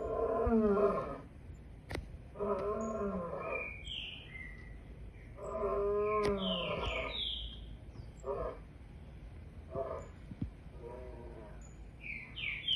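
A lion roars in deep, moaning bursts that shorten into grunts, with small birds chirping behind.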